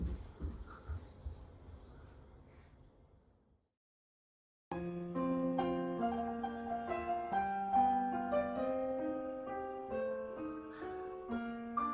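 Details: Soft room noise fades into a brief silence, then gentle piano music plays a slow melody.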